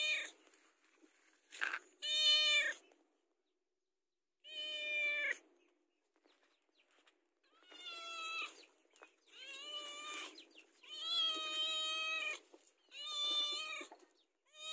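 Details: House cat pleading for food near mealtime, repeated meows in irregular bursts, some wavering in pitch, with short clicks and rustles between the calls.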